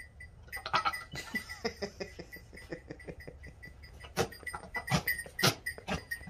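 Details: Male fainting goat Jack-Jack courting a female he is kept from breeding with, licking, mouth breathing and spitting: rapid wet clicks, smacks and sharp spitting bursts repeated irregularly, with soft breathy puffs between them.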